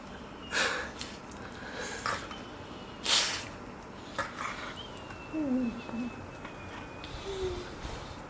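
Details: Two five-month-old golden retriever puppies playing together make breathy snorts and huffs mixed with brief, high squeaky whines.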